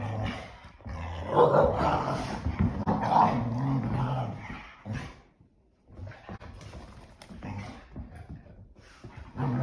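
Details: Indoor rainy-day play between two English Springer Spaniels: a loud stretch of rumbling, snarling growls fades into a quieter, broken run of lower grumbles and scuffling.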